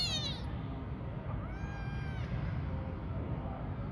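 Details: Cat giving one clear, rising-then-falling meow midway, preceded by the tail of another cry, against constant low-pitched rumbling background noise.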